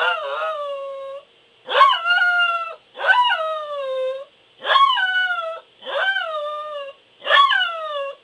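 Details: A Pembroke Welsh Corgi howls in a series of six sharp-onset cries, each starting with a yelp-like attack and then sliding down into a sustained, falling wail, spaced about a second apart.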